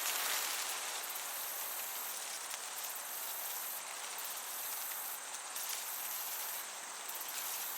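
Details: Summer meadow crickets with a gentle breeze; a continuous high-pitched insect drone holds steady while clusters of sharper, very high chirps come in irregular bursts against a wash of airy rustling.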